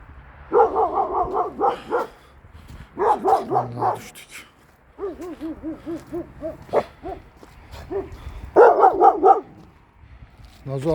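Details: Nazo, a Kangal, reacting to a strange female dog up the hill; rapid runs of deep barks alternate with a series of higher, arched yelping calls, with rustling between bursts.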